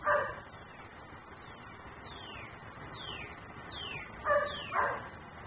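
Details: Dog left outside that keeps barking until taken in, heard from a neighbouring property on a home camera: one bark at the start, then two close barks near the end, with sliding high chirps in between.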